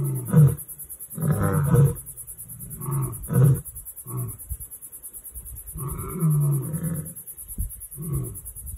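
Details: Lions on a Limpopo bushveld reserve in South Africa giving a series of deep, low grunting roar pulses, short bursts spaced unevenly, the final grunts of a roaring bout, over a constant high-pitched hiss.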